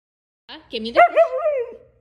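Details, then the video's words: Siberian Husky fighting over fish, giving a short talking howl: a few choppy syllables leading into a rising, wavering yowl that slides down and fades after about a second. "husky is fighting for fish"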